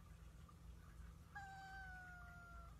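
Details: Domestic cat giving a long, even meow of over a second that sags slightly in pitch toward the end, replying as a woman sympathises with it; faint room hum in the background.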